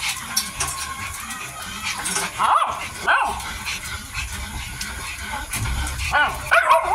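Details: A Miniature Dachshund puppy, 55 days old, eats while giving a few brief, sharp squeaks, a pair early on and another near the end, over steady low background noise.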